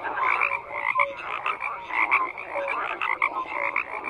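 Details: Numerous frogs croak in a thick overlapping chorus, short nasal notes and brief whistly tones repeating rapidly with no pauses.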